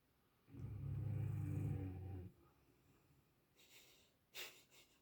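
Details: Sleeping dogs snoring: one long, deep, rumbling breath lasting about two seconds, low and rough, followed by quieter breathing and a few faint rustles and clicks.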